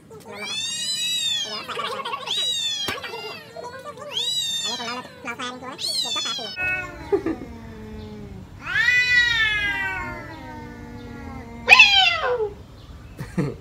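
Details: Two village cats battling for a female trade loud, drawn-out caterwauls. The bent, rising-and-falling wails come in separate bouts with short gaps, and a shrill screech near the end.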